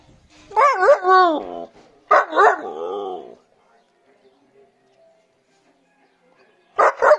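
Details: Siberian Husky wanting to play, making talkative howl-like vocalizations: a wavering yodel and a second longer warbling phrase, then silence and a short final yelp-like burst.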